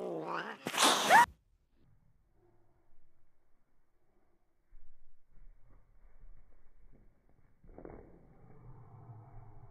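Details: Angry pet cat: one harsh, loud yowl lasting about a second, its tone bending upward. Near silence follows, then a softer, low, drawn-out growling murmur near the end.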